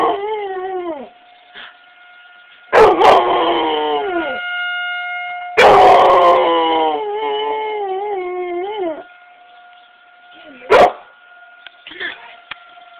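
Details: Mable, an 11-year-old female Chocolate Labrador, howls outdoors at the monthly first-Tuesday tornado siren test; wavering, falling howls come in bursts over a steady siren tone, with a short first howl, two long howls, then a brief yelp.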